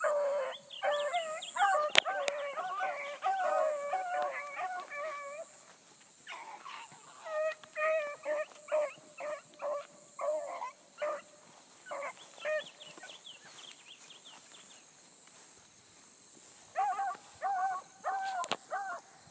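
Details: Bluetick Coonhounds, with a new pup learning, running a rabbit early on 22 July 2012: rapid harmonic bawls that fade to distant scattered bays, then close up again, beneath a constant shrill insect hiss.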